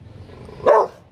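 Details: Lucky, a 4-month-old female Rottweiler puppy on her first outing from home at a roadside drink stall, gives a sharp, loud guarding bark at strangers approaching, then starts another.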